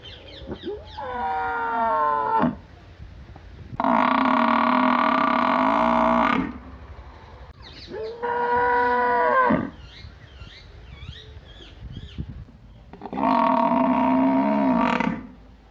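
A cow gives several long, loud, deep moos, each lasting two to three seconds.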